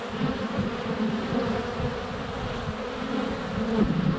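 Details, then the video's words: Honey bees circling the hive entrance on a sunny February day, captured inches away with a GoPro Hero 7 Black; loud low buzzing with individual bees whining past, rising near the end. "4K Honey Bees - ambient video and audio"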